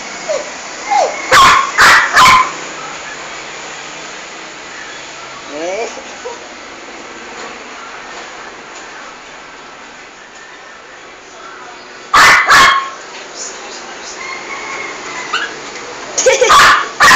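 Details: Female toy poodle in a bathroom, attacking and killing a big rat: short bursts of sharp barks near the start, again around twelve seconds and at the end, with long hissy quiet stretches between.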